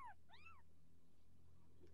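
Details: Young Persian kittens at home, orange Persian litter growing up: two short high mews, the first falling, the second arched, then only low hum and faint sounds.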